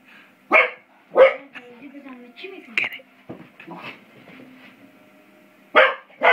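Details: Five-month-old English Springer Spaniel playing with a door spring indoors: loud, short, harsh barks near the start and end, with quieter low ringing tones and a few soft noises between them. Human voices murmur in the background.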